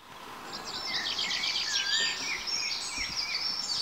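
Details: Four meerkat pups, 22 days old, born in an underground burrow and now venturing outside for the first time. Dense, overlapping high squeaky chirps rise and fall continuously over a steady background hiss.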